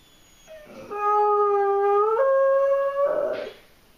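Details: German Shorthaired Pointer with separation anxiety howling, a session reportedly lasting about eight hours; a long clear howl of roughly two and a half seconds, first low and level, then stepping upward in pitch midway and ending with a harsher rasp.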